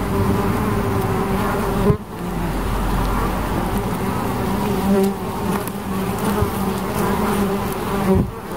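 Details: Humming drone of bees, steady and buzzy with wavering overtones, briefly cut by soft knocks or handling sounds around two seconds and again near the end.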